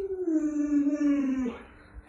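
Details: Indoors, the pet Alaskan Malamute Luoluo holds a sustained, slowly falling howl for about a second and a half. It ends with a brief downward slur, and quieter room noise follows.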